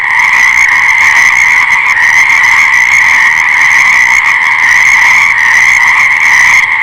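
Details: Frogs calling in a dense, unbroken chorus; many overlapping voices blend into a steady, high, buzzing drone with no pauses, staying level throughout.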